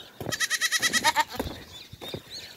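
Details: A goat kid about two to three weeks old, separated from its mother in grass, bleats in quick, wavering bursts calling for her; she answers and they reunite so it can nurse, during a rainy spell.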